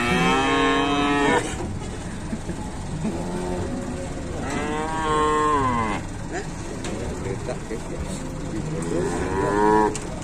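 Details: Cattle lowing at the Pasar Pon Ambarawa livestock market in Indonesia: three long, loud, harmonic moos, each about one to one and a half seconds, spaced several seconds apart, over a murmur of market noise.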